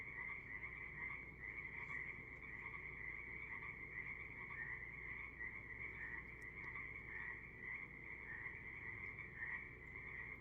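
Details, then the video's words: A calm evening on the Sunshine Coast, Canada, filled with a chorus of frogs: steady overlapping trills form a constant high buzz with gentle pulsing swells, plus a few faint clicks. "These frogs aren't the only ones making some noise this evening"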